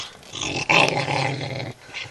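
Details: Female pet dog growling indoors while protecting her bone as someone reaches for it; a low, rumbling, continuous growl lasting over a second, with a brief louder burst near the start.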